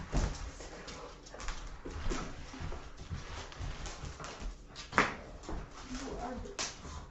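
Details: Boykin Spaniel in a small room after chewing paper lets out short, thin whimpers and soft huffs among bumps and rustling, while a woman talks over it, hushing the excited dog.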